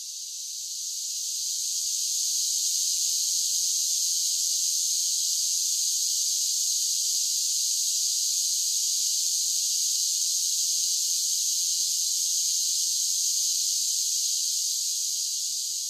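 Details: Summer cicadas: a steady high buzzing chorus that fades in over the first seconds, then holds an even, unbroken drone with no other sounds.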